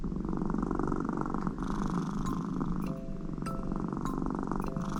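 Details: Connie, an American Shorthair cat, settles on her owner's lap during work and purrs loudly in a snore-like way to seek affection. A low, rapid, unbroken rumbling carries throughout, with a few faint short clicks and tones.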